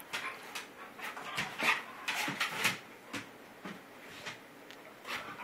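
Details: GiGi the dog, play-boxed by Rudie, lets out short breathy sneezes. Two bright bursts sit in the middle, surrounded by quick soft snorts and scuffles.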